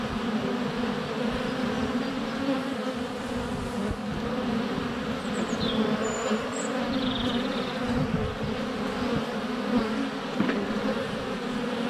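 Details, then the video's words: Many honey bees flying around a hive entrance on a sunny February day, recorded less than a foot away on a GoPro; continuous layered buzzing hum, with faint high bird chirps partway through and occasional ticks of bees landing. "4K Honey Bees - ambient video and audio"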